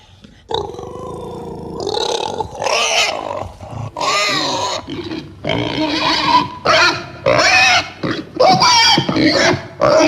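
A domestic pig grunts and squeals repeatedly, the calls coming in rough, nasal bursts. Some rise into strained, wavering squeals before breaking off, with short pauses between them.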